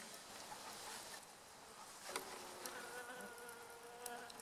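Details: Honey bees at a hive during beekeeping work after the honey harvest, with smoke rising from a metal box set on a small wooden stand: a steady, dense buzzing hum, with brief knocks and rustles.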